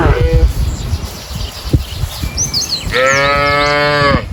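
A cow gives a drawn-out, harmonic moo after a brief, lower-level opening call.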